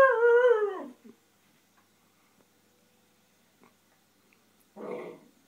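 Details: Shiba Inu Koji, indoors and frustrated because his ball sits behind the TV stand, gives a clear wavering howl-like whine that slides downward over one second, a brief pause, then a rougher grumbling vocal burst.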